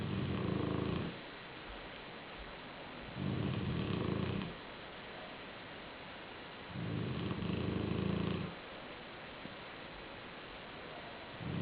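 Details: A black Shar-Pei sleeping on a pillow indoors and snoring: low, rough rumbling snores, each about a second long, recurring roughly every three and a half seconds, with quiet breathing in between.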